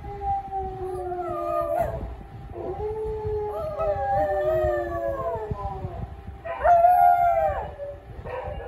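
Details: Pet dog howling: long wavering tonal howls, each sliding up then bending down, repeated with short breaks and a louder rising-falling howl near the end.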